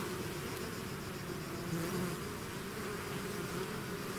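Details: Honeybee swarm leaving its hive, a dense steady drone of many wings layered into a low continuous hum, with brief brighter individual buzzes rising out of the mass around the two-second mark.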